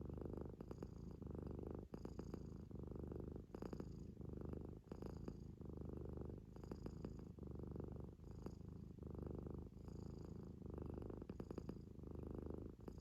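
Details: Kitten of the Munchkin breed sleeping, giving a steady run of coarse, buzzing snores roughly every second, each breath ending in a thin whistling snort through the nose.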